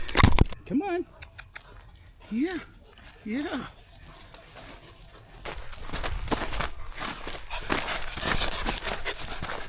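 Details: Labrador Retriever puppy, excited on his first nature walk on a farm at Pine Hill Kennel; three short arching whines in the first four seconds, then rustling steps through grass and a person talking.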